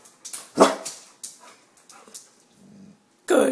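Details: Pet dog indoors, one of a household cane corso and bullmastiff pair trained to bark on command, gives a sharp deep bark, then a second bark about three seconds later, with the owner's coaxing speech between.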